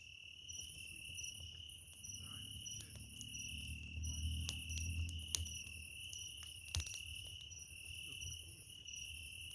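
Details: A cricket chirping beside a campfire on 27 July 2024; a high, thin pulsed trill comes in long bursts broken by brief pauses, while burning wood snaps and crackles and a low fire rumble swells in the middle.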